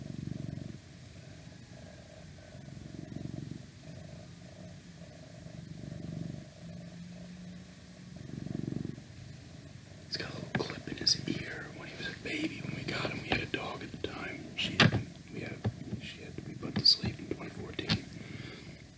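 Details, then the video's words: Cat purring in soft, low rhythmic swells for the first half, then soft whispering and rustling handling noises take over and mask the rumble. "Cat Purring"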